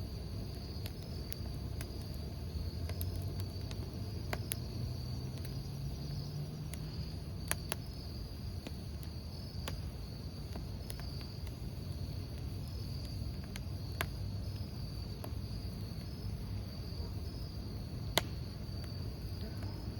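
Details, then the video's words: Crickets chirping beside a crackling campfire, a thin steady high trill running through the whole stretch, beneath sharp wood pops and snaps and a dense low rumble of the fire. "모닥불 귀뚜라미 소리"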